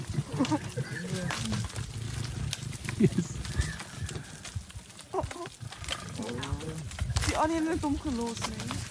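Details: Lions that climb trees to seize prey, snarling and growling in a chaotic tussle: low rumbles throughout with harsh, wavering higher snarls in bursts, especially toward the end.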